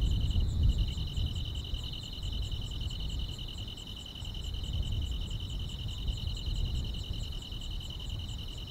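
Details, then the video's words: Grass insects on a summer night: steady high, buzzy trills held in two close continuous bands, with fainter rapid pulsed ticking above, over a heavy low rumbling background noise throughout. "여름밤의 포근한 풀벌레 소리"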